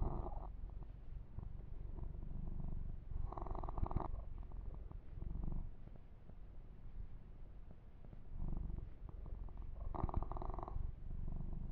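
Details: Kitten receiving a massage and fur grooming purrs in an unbroken low rumble, overlaid by recurring bursts of rubbing and brushing sounds roughly every three seconds, recorded close and intimate.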